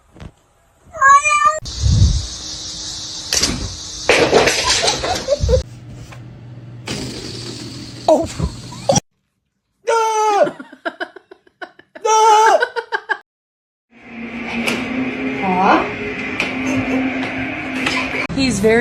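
A kitten gives several short, high, rising-and-falling meows amid human voices and laughter.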